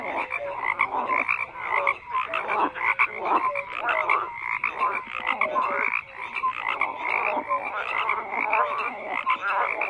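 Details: A crowd of frogs croaks without pause, rattling pulses layered with short rising tonal calls, the mass of voices rising and dipping in volume.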